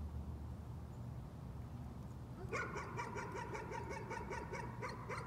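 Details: Nuisance barking from a dog: after a stretch of steady low rumble, a rapid run of sharp, evenly spaced barks begins midway and keeps going, about four per second, over a constant low hum.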